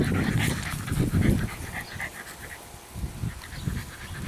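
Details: Eleven-week-old female English Bulldog puppy Meredith, chocolate tri coloured, breathing in loud, quick raspy pants at first, then quieter, uneven huffs.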